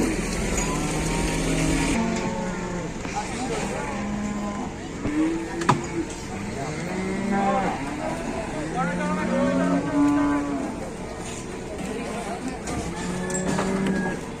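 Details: Large cattle at an Indonesian trading site. Many animals moo in overlapping, drawn-out calls against a heavy rumble of engines and crowd voices. A sharp bang is heard midway.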